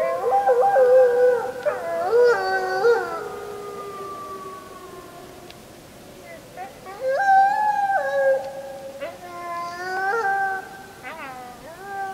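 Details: Wolf chorus at full moon, 31.07.2015, recorded on a JVC Everio GZ-EX215 HD: wavering, overlapping howls with sudden pitch jumps, a quieter lull mid-way, then a second swell of several voices.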